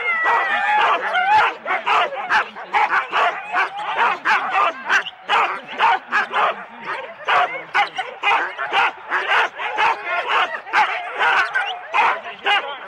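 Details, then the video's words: Four-dog Husky sled teams at the start of a race at Rendlesham in January 2016, recorded on analogue cassette tape: a dense overlapping chorus of excited barks, yelps and whines, about two per second, with no pause throughout. "4 dog Husky teams - the complete start"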